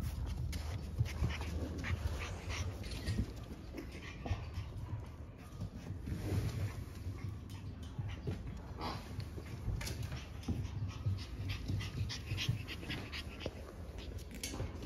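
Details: Steady, hoarse breathing from growing French Bulldog puppies from a 14 March litter, continuing through the whole stretch with slight rises and falls, over a low rumble of room noise and occasional clicks.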